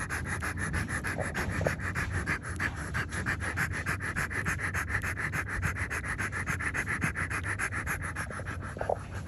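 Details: French Bulldog litter scene with nursing newborn puppies; rhythmic, raspy panting breaths repeat about three to four times a second, evenly and without pause, over a faint low hum.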